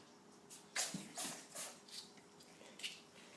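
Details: Baby ferret named Wiggles in a sneezing fit: about five short, sharp, hissing sneezes burst out in quick succession over three seconds, each a brief explosive puff of breath, with a faint human voice near the start.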